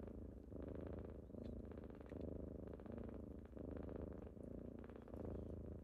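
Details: Domestic kittens waking someone up in the morning, producing a thick, throaty purr in regular surges separated by brief softer gaps, with light scratchy movement noises over the top.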